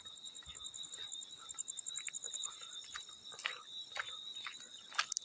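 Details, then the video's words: High, steady field cricket trill with a pulsing upper band, accompanied by scattered splashes of water growing louder toward the end. "Field Cricket + water splash sounds"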